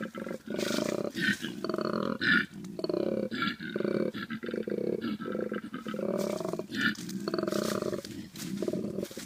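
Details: Male koala during mating season, out on a road after a night of feeding on gum leaves, making its territory and challenge call: loud, deep, rasping, snore-like pulses that swell into roaring belches, repeated in rhythmic bursts.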